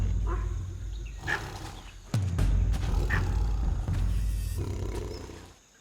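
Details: In Nagarhole National Park, southern India, a Bengal tigress gives deep, rumbling calls after killing a sambar deer in an ambush; the noise alerts her cubs, which come to join her at the kill.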